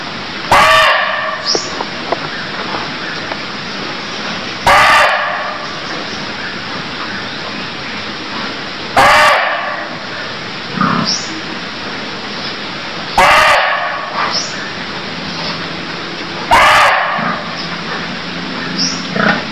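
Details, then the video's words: Barking deer in Cambodia giving loud, harsh, bark-like calls, five in all, spaced about four seconds apart, each a short broadband burst over a steady hissing background with faint softer sounds between. "Cambodia Sound Deer Calls || សម្លេងសត្វឈ្លូសស្រែក"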